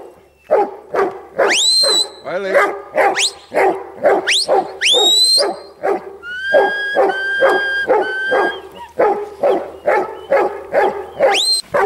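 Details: Huntaway dog barking in a fast, uneven run of deep, hoarse barks, about two per second, with loud rising whistles cutting in between and a longer wavering whistle sequence midway.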